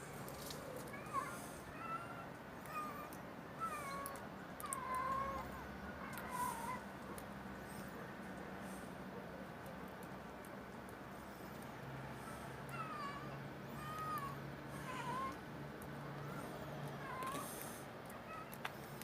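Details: Stray street cats mewing: short, arched, slightly nasal meows come in loose runs, several in the first seven seconds and another series near the end, over a steady hiss and low hum of outdoor background.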